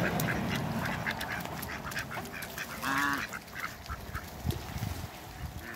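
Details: A newly arrived pair of Mallard ducks in a backyard with other waterbirds; one short, nasal, harmonic quack stands out midway against steady outdoor background noise and faint low rumbling.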